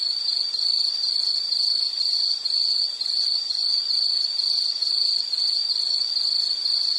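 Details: Insect sounding in a nature recording: a high, ringing tone broken into short pulsed chirps, roughly two per second, running without pause over a soft hiss, with nothing else clearly heard.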